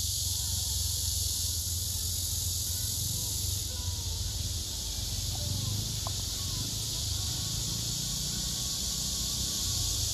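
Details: Male cicadas on trees, one singing with wings spread and abdomen raised while another male listens nearby, several cicadas gathered together, filmed by phone camera; steady high hissing buzz runs throughout, upper part easing after a few seconds, over low rumbling background.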